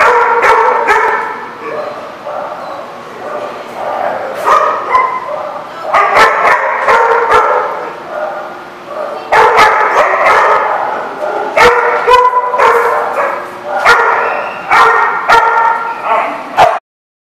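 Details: Dog barking, recorded 2/10/14: repeated loud barks in irregular bursts, some rapid and clustered, others spaced by short pauses, with harsh clipped edges and a few higher yips mixed in.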